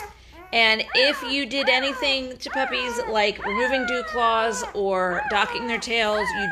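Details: Five-day-old Great Bernese puppies, Lacey the Great Pyrenees bred to Castle the Bernese Mountain Dog, call in repeated loud, drawn-out, descending squeals, overlapping one another for several seconds after a brief quiet start.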